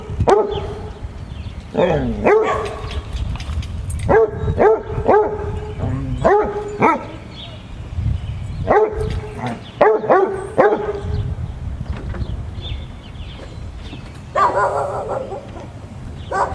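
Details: A Basset Hound playing with a frog he found gives deep, loud barks in quick bursts, pausing between volleys.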